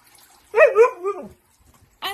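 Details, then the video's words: Siberian Husky at home, protesting while its owner tries to put its harness on before going outside; a rising-and-falling, talking-like howl lasting under a second, then a short second howl starting, with the owner speaking around it. "Funny Moments of Husky Dogs"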